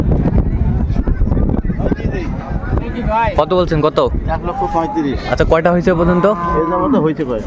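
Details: At the Raniganj livestock market in Dinajpur, a milk cow of improved breed lows in several throaty, rising-and-falling moos over a few seconds while traders talk close by amid crowd noise.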